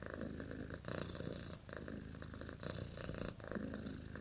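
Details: Dreaming cat in its sleep gives a deep, rattling purr, rhythmically pulsing, with two louder breathy inhalation bursts carrying a sharp hiss; nothing else heard.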